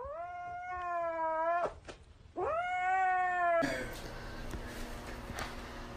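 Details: Domestic cat giving two long, drawn-out meows of about one and a half seconds each, rich in steady harmonics with a slight rise at the start, then broadband noise and background music.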